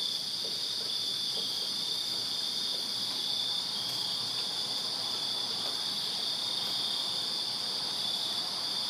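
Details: Backyard crickets on a Virginia summer night keep up a constant shrill, high trilling chorus, many insects overlapping into an even wall of sound.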